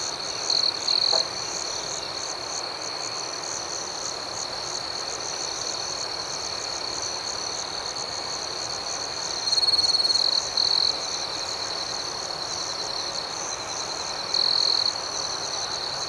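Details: Evening crickets chirping in a tranquil nighttime scene, a steady shrill high trill with quick repeated pulses, interrupted by brief louder bursts at the start, around ten seconds and near fifteen seconds.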